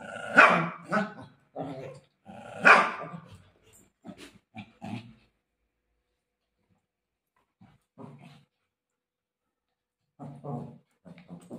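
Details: Golden retriever play fighting with its mother: two loud, harsh bark-like yelps open, then softer short grunts, a quiet gap, and a few low muffled snorts near the end.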